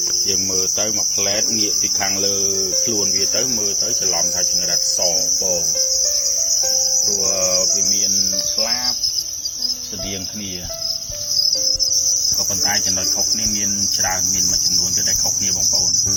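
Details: High, unbroken buzzing trill of a red cricket runs throughout, unchanging in pitch, while melodic music with stepped tones plays underneath.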